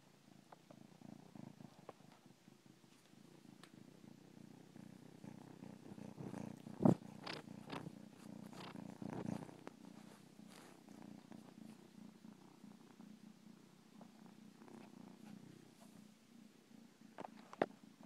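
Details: Domestic cat purring steadily, a low continuous rumble with soft rhythmic pulses, broken by a few faint clicks and one sharp tap near the middle; quiet indoor setting.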